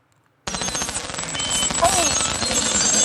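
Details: A single beluga whale, an incredibly social animal, giving a fast buzzy train of broadband clicks, roughly regular, with a brief faint whistle sliding through the middle after a moment of silence.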